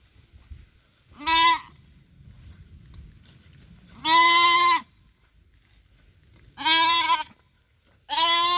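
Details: Goat at a small family goat farm whose young kid may have been bitten by a cobra, giving four loud, strained, quavering bleats, each under a second, spaced two to three seconds apart over quiet background.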